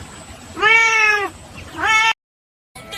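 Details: Domestic cat giving two clear, drawn-out meows, the first long and level and the second shorter and rising, followed by a sudden break in the sound.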